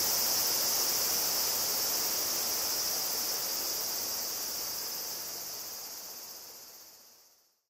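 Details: Higurashi cicadas (Tanna japonensis) at Kobe, Japan, on 14 August 2011, captured with a Zoom field recorder: a continuous high, shimmering wash of insect song that slowly fades away to silence at the end.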